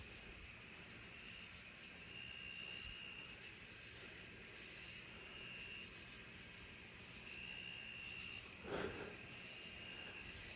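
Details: A narrow-winged tree cricket, probably, up in a low tree at night after rain in July, sings a faint, high, clear trill over a dense chorus of crickets, katydids and Cope's gray tree frogs, with one brief knock.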